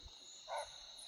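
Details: Barking deer (kakar) calling on a moonlit night in the forests of Corbett, Uttarakhand, two animals calling, one from higher up; a single short, sharp bark stands out faintly over a steady hiss of night insects.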